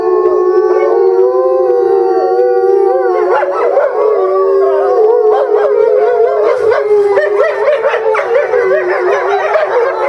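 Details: An eastern timber wolf family howls together at Higashiyama Zoo in February 2012, with one female kept apart in a small yard during the breeding season. Long smooth tones overlap and waver into a rich chorus.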